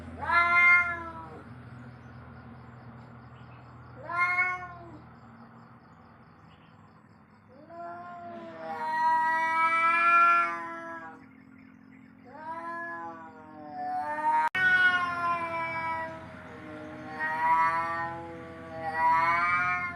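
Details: Cat yowling in long, drawn-out, wavering wails rich in harmonics, rising and falling in pitch, with about six bouts separated by short pauses over twenty seconds, and a steady low hum in the background.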